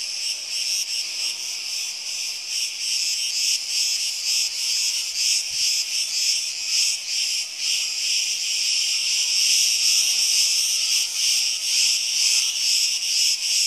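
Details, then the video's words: Cretan cicadas in the summer heat produce an unbroken, piercing high-pitched drone that pulses about twice a second, many insects overlapping into one dense chorus. "CICADAS IN CRETE - ΤΖΙΤΖΙΚΙΑ ΣΤΗΝ ΚΡΗΤΗ"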